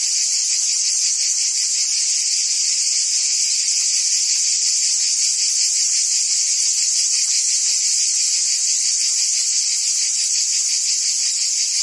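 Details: Cicadas buzzing in forest trees: a loud, unbroken, high-pitched shrill drone with a faint rapid pulsing, about three throbs per second, holding steady for the whole stretch, with no other sounds.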